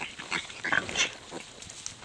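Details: Pasture-raised Tamworth sow farrowing, giving birth to five Tamworth-Duroc piglets on a ranch on October 5, 2010; short, high, squeaky squeals come in quick bursts, with a person speaking nearby.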